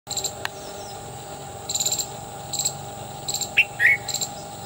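Shrill, clicking chips from an Indian palm squirrel come in short, fast clusters every second or so. A couple of brief whistled bird notes and a faint steady hum sit in the background.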